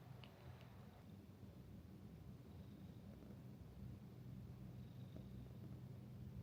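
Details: Domestic cat purring at a seaside hot-spring inn, Minshuku Nozaki in Ito, Shizuoka Prefecture, Japan; deep, even rumble held throughout, with a couple of brief light clicks near the start.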